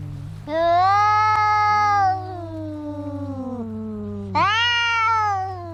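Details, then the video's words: Two cats in a fight, one holding a long loud harmonic wail while the other moans lower and slides downward, followed by a fresh sharp yowl; a steady low hum sits underneath. "Som de gatos brigando"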